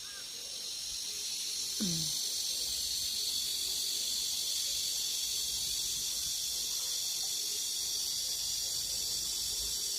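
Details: Evening cicada near a rural house in Geumnam-ri by the Bukhangang-ro road, early summer ahead of other cicadas; constant shrill buzzing drone holds level throughout, with a brief faint lower chirp near the start.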